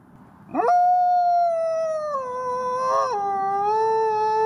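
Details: Gray wolf howling: a swift upward sweep into a long, clear, steady tone that slides lower partway through, wavers briefly, then holds at a lower pitch to the end.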